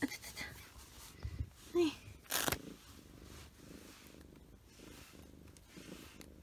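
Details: Short-haired pet cat named Choco purring while groomed with a glove that pulls out loose shedding fur; soft, low rhythmic purring after brief handling noises, a short squeak and a woman's voice.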